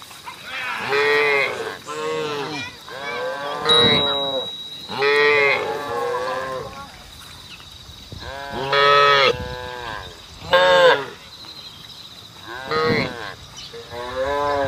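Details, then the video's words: Cattle out on a road calling to the herd, several animals giving about seven loud, arching, harmonic moos spaced irregularly, each a second or so long, separated by quieter gaps with faint background hiss. "SAPI DI JALAN SUARA SAPI BUNYI MANGGIL KAWANAN"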